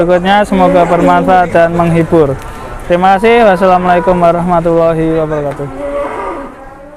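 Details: Big cow at an Indonesian livestock market, slightly unruly: a run of pulsing, throaty moo syllables for about five seconds, briefly breaking off midway, then fading out, with voices in the background.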